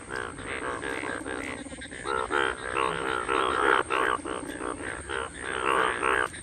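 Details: Indian bullfrogs (Hoplobatrachus tigerinus) calling in a natural setting during mating season at the first monsoon rains, June 2022, recorded on an iPhone; dense overlapping chorus of harsh, pulsed croaks in rapid bursts, several frogs calling at once, nearly continuous.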